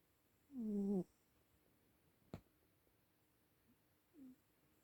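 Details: An old cat snores while sleeping: one loud, harmonic, rasping breath about half a second long, then a sharp click and a quieter, shorter snore near the end.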